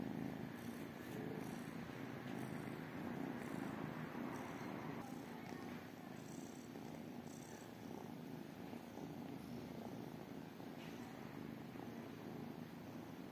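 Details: Three tiny kittens, two calico and one tabby, waiting for love and food. A low, grainy purring rumble continues steadily beneath a broad wash of background hiss and faint scattered clicks.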